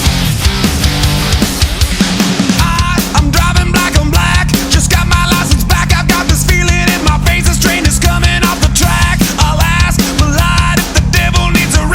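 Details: Loud rock music with pounding drums, heavy bass and distorted guitar running unbroken for the whole stretch, with no animal voice anywhere.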